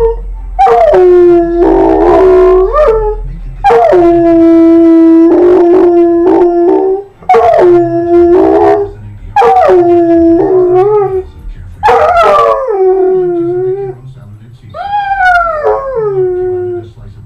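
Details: Harley the dog sings along to TV jingles and theme songs with a run of about six loud, tuneful howls. Each lasts one to two seconds, separated by short breaks, with pitch sliding up and down between phrases.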